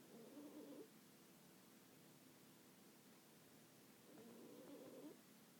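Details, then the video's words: Sleeping cat snoring indoors: two soft, rasping breath sounds about four seconds apart, each lasting under a second, with quiet room hiss between them. "Snoring cat"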